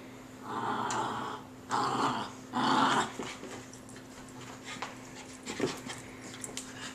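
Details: Puggle playing and swinging from a rope indoors: three long, rough growls about a second each, then quieter scuffling, with a steady hum underneath.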